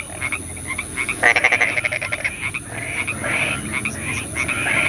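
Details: Frogs calling at night in the rain: overlapping rapid pulsed croaks and trills in repeated bursts, with a steady high hiss throughout.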